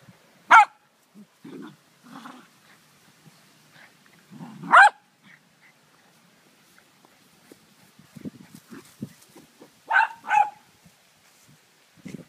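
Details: Greyhound named PJ 'talking': a long, wavering, moaning whine that swoops up and down in pitch in rich harmonic arcs, ending in short rising yips, while a person speaks to the dog.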